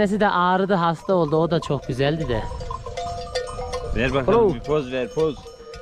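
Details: Lambs of the Akkaraman breed, newly weaned and calling for their mothers, give quick strings of quavering bleats, some rising and falling, then a second loud burst of overlapping cries; faint bell-like tones underneath.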